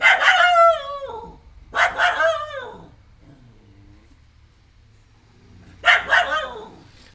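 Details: At home a female dog keeps barking at a new stray puppy: long, loud, slightly howling barks in two closely spaced pairs, a quiet gap of several seconds, then another strong double bark.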